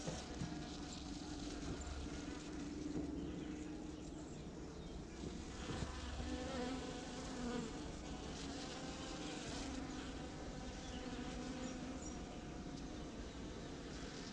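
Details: Bees foraging on pitaya (dragon fruit) flowers at La Saline, Réunion island, on 6 February 2018: a steady, low droning buzz with wavering pitch that swells and fades as insects pass, over soft background hiss.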